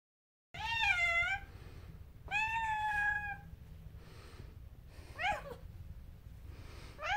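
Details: Domestic cat meowing loudly before being bathed on a vet's recommendation: drawn-out, harmonic-rich meows, a rising-then-falling wail around 1 second long repeated with pauses, plus a shorter sharp cry near the end, over low room hum.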